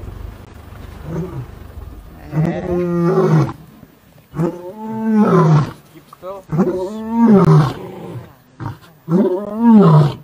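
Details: Big male lion being chased from his territory by younger lions, giving a series of deep, grunting roars, each about a second long and rising then falling in pitch, repeated roughly every two seconds; human voices faintly in the background.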